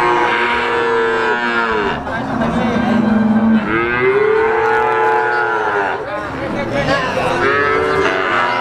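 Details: Three-month-old Simmental, Limousin and Pegon calves offered for sale, lowing in drawn-out, arching moos that rise then fall, about three calls overlapping one another, with a murmur of background noise.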